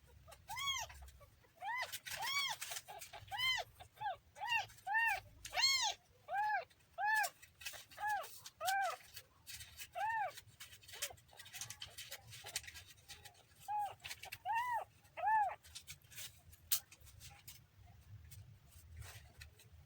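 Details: Kitten giving a rapid run of short, high, arched mews, roughly one every second, fading toward the end with scattered clicking noises.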